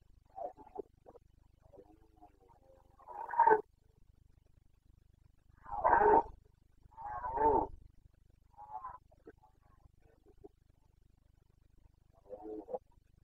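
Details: Red deer stag of the Carpathians bellowing during the breeding season in Bucovina, September 2022: a few deep, rough roars spaced several seconds apart, the loudest lasting about half a second, with softer grunts between.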